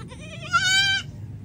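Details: A goat that has been called and is said to be hungry gives one quavering, nasal bleat of about half a second, steady in pitch, over faint low background hum.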